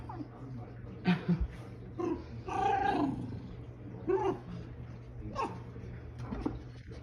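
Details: A pet fox named Lucca makes short whiny squeaks and low throaty growls while a person talks nearby, mentioning dog treats.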